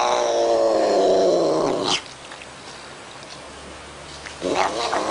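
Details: Domestic cat voicing its feelings with weird sounds: a long, loud, slowly falling yowl of about two seconds, then quiet, then the start of another cry at the end; faint music underneath.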